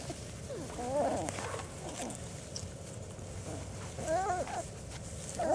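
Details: Four-week-old German Shorthaired Pointer puppies on a first trip outdoors, offering only occasional wavering squeals, three short bursts spaced a few seconds apart, amid quiet rustling and outdoor background.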